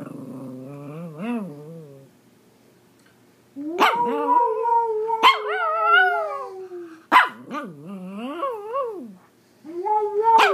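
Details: Singing Pomeranian producing warbling, wavering howls broken by sharp yips at the start of each phrase, voice bending up and down repeatedly over about ten seconds, with a short silent gap early on.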